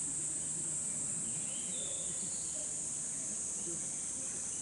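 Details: Cicadas in summer in the bamboo forest of Hokokuji temple, Kamakura, Japan: a steady, unbroken high hiss-like drone that holds without pause throughout, with faint low murmuring beneath.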